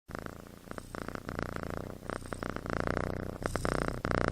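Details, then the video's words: Sleeping kitten snoring, a steady rasping, pulsed sound rising and falling in long bursts with short gaps between breaths, in a small indoor room. "Snoring Kitten"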